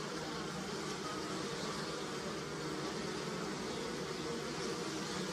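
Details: Bees working willow blossoms for nectar in a European early spring give an unbroken, layered hum. The low buzzing is steady and constant, with an airy hiss and no other distinct sounds.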